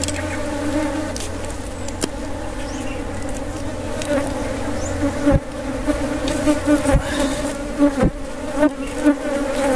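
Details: Honey bees at a wild honey harvest make a steady, droning buzz with a low hum and a clear overtone above it, running the whole time, broken by a few sharp knocks and clicks.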